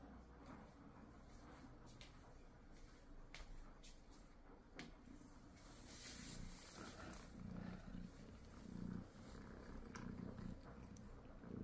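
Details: Munchkin cat purring while eating, a low rumbling purr in steady pulses with scattered clicks and rustling noises on top.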